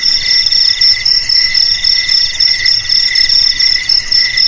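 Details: Cricket chorus used as a rat deterrent for home, garage, warehouse and rice paddy: piercing high-pitched trilling with steady pulsing, lower chirps coming in quick regular bursts about four per second, many callers overlapping.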